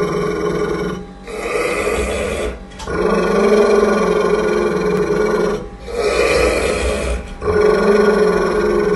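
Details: An angry pit bull growls at its owner, possibly around feeding, in sustained, throaty, rumbling bursts of a few seconds each. The low rumble rises slightly in intensity within each burst, with short breaks between.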